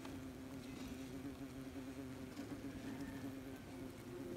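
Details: Wasps busy at their nest, recorded up close: a steady, low droning hum with layered overtones that holds unbroken throughout, with faint scattered ticks over the top.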